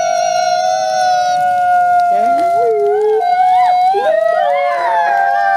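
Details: Sibling gray wolves, captive ambassadors at a conservation center, howling in unison: one steady held tone while a second voice enters with short rising and falling glides, ending in wavering overlapping notes.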